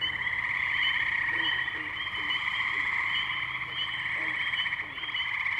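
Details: Massed tree frogs calling in Ohio's Firestone Park wetlands, Columbiana, on May 6, 2023, recorded on a Zoom H2n; a constant high pulsing trill chorus, with faint lower chirping notes scattered beneath it.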